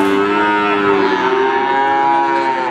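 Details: Cattle at the Wagenan cattle market in Pati: one long, steady, low moo lasting nearly three seconds, a full harmonic tone holding level pitch throughout with a faint rough edge, and little other sound around it.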